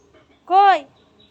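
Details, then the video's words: A mother cat, having carried her kittens into another room, gives a single clear meow lasting under half a second, rising then falling slightly, in a quiet indoor space. "বাঁচা গুলো কে নিয়ে মা বিড়াল অন্য ঘরে গেছে।"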